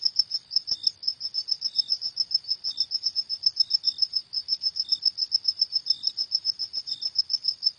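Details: Cricket singing at night: a high, tinny train of quick pulses running unbroken for the whole stretch, with a brief faint lower chirp here and there, in an otherwise quiet background.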